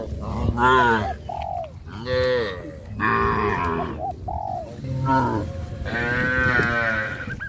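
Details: A herd of cows on a traditional village farm heading toward green grass fields, lowing in several deep, drawn-out moos of about a second each, some rising then falling, with short pauses between callers.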